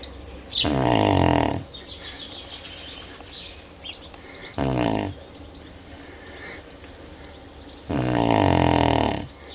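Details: Three long, rough snores from Manjurhi, a Tibetan Mastiff asleep, each a buzzy, throaty rattle lasting about a second, separated by several seconds of soft, hissing breath indoors.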